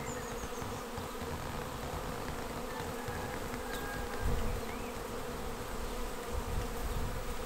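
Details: A honeybee swarm filing into a bait hive swarm trap on 19 May 2021, the second capture of that year; a loud, dense, steady hum of many bees, with light bird chirps and rustling.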